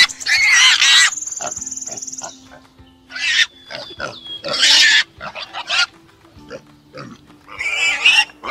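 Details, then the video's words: A farm pig gives harsh, noisy squeals in short bursts every one to two seconds, with a thin whistling tone and faint background music. "Farm animals l_ chicken - dog - cow - pig-sheep - animals with sound"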